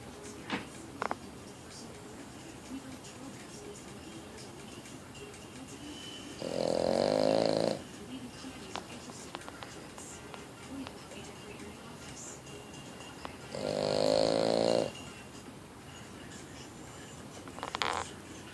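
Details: Sleeping male Boston Terrier snoring indoors: two drawn-out, buzzy, whistling snores, each about a second long, spaced roughly seven seconds apart, with quiet breathing and faint rustles between them.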